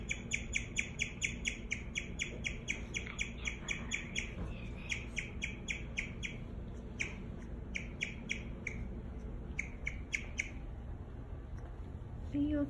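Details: Rapid, high tweeting chirps from Daisy the guinea pig start as an even string, then break into irregular bursts with pauses and fade toward the end, over a steady low room hum.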